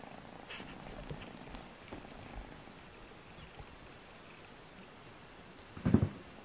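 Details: Kittens Alfonso and Amur, two of Agusha's litter, purring while play-fighting to find out which is strongest; a soft, low, steady purr runs quietly through an indoor room, broken near the end by one sharp knock or thump.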